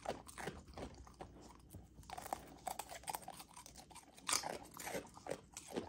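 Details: Golden Retriever puppy chewing frozen raw dog food, with dense crunching, smacking and wet slurping bites throughout, a louder crunch near four seconds.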